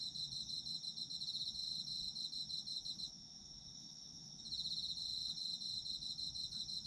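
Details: High, ringing autumn insect song: a sustained steady tone plus a quick pulsed trill that drops away for about a second and a half after the third second, then picks up again. A gentle low hum runs underneath.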